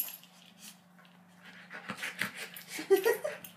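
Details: Golden Retriever puppy being dramatic: quiet breathy rustles give way to short, high, strained whimpers clustered near the end, over a steady low electrical hum.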